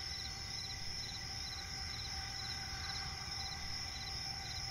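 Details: Crickets in a night forest by a swamp keep up an unbroken high-pitched trill, with evenly spaced softer chirp bursts below it and a dull low-frequency ambient rumble.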